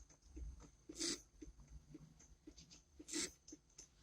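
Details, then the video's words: A pet dog barking at a statue: two sharp, noisy barks about two seconds apart, with quiet hiss and faint ticking sounds between them. "My Dog Barking at a Statue"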